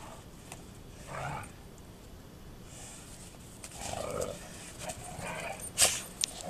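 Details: Two female Golden Retrievers play together and then suddenly fight; short low rough growls rise in separate bursts a few seconds apart, with quiet rustling and scuffling between them.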